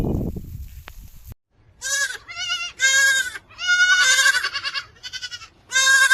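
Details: Young goats bleating while playing among grazing goats on a farm: a run of five or six loud, wavering, nasal bleats, some overlapping, after a short burst of low rumbling noise at the start.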